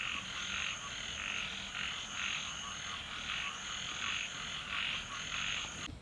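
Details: A dense night chorus of frogs outside a flooded home in Thailand, heard after distant thunder, pulses in rhythmic waves, with a steady high insect-like whine above.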